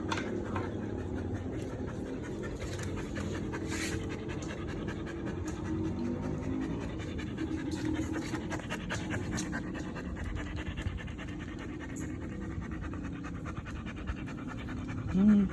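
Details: Belgian Malinois dog panting steadily through a long stretch, a soft continuous breathy rasp with faint background music and a brief louder sound near the end.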